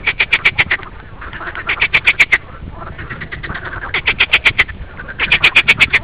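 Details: Green frog giving quick clicking pulse trains, short loud bursts of sharp rattles repeated several times a second, pausing briefly between volleys while other frogs call softly behind.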